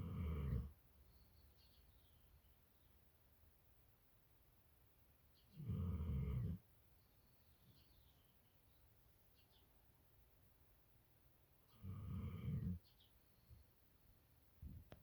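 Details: A sleeping pit bull stays in bed in the morning, snoring: three deep, rumbling low-pitched snores about every six seconds, each lasting under a second, with quiet breathing between.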